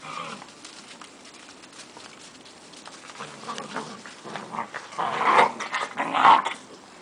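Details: German Shepherd puppies with Gretta; low rough growling and whimpering builds toward the end, with louder bursts around five to six and a half seconds over quiet background rustle.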